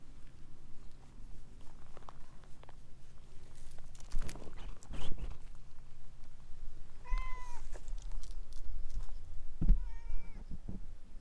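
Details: Chatty orange tabby stray cat winding around legs gives two shorter meows late on, around seven and nine and a half seconds, after rustling and shuffling noises, with a low hum underneath.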